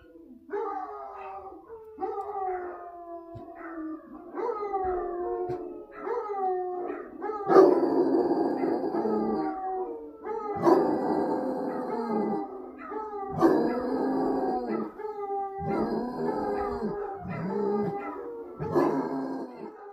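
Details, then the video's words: Several love-sick basset hounds calling to each other, overlapping long mournful bays and howls that slide downward, rising into a loud chorus after about seven seconds, with sharper yelps mixed in. "Basset Hounds Baying!!!"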